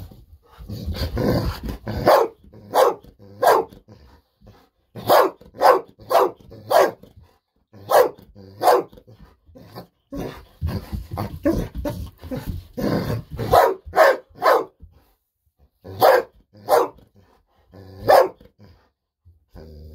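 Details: Golden Retriever named Bis barking indoors in excitement, wanting a fish-sausage treat. Sharp, loud barks come in bursts, mostly singles and quick pairs, with short silent gaps throughout, close to the microphone.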